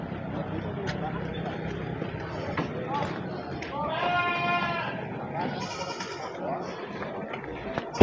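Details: Goat at the morning Pasar Wage livestock market in Wadaslintang, Wonosobo, Central Java, where Peranakan Etawa and Jawa Randu goats are traded: one quavering, wavering bleat lasting under a second, set against steady crowd chatter, voices and market bustle.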